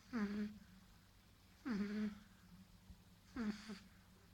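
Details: Marley, a nine-week-old baby pug puppy sleeping from tiredness, snores in three low, wheezy, harmonic breaths, each about half a second long and spaced roughly every one and a half to two seconds, in a quiet indoor room.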